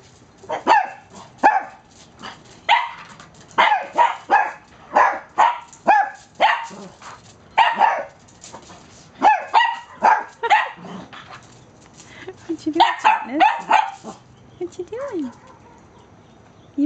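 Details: Riley, a 5-to-6-month-old Cavalier King Charles Spaniel at dog daycare, gives sharp, high, repeated barks in a barking contest with a 16-year-old Toy Poodle, with other dogs joining in.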